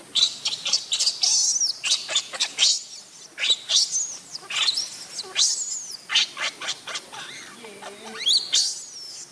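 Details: Baby monkey after a fall, giving shrill, high-pitched squealing cries in rapid broken bursts, some notes sweeping sharply upward, pouring out almost continuously with brief gaps, no other clear sounds.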